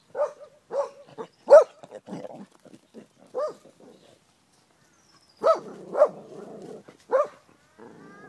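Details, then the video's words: Hoa, a female Australian Kelpie described as angry, who picks on cows and horses; a burst of sharp barks and grumbling yelps, a pause, then three more barks with a low growling rumble between them. "Angry Australian Kelpie"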